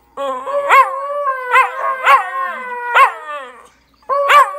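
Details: Two West Highland White Terrier brothers, Goose and Gus, howling together in summer: sustained wavering tones with harmonics, sliding up into sharp yelping peaks roughly every second, a short break, then resuming.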